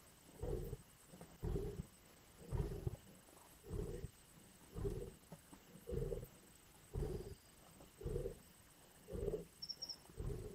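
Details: Lions at a carcass in Indian bush: evenly spaced, deep rasping growls or grunts, about one each second across the stretch, with a faint high chirp near the end.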